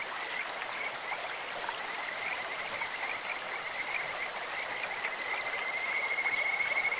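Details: Kajika frogs calling in a clear stream: a high, steady whistled note repeated in quick chirps over constant rushing water, ending in a clearer, pure rising trill.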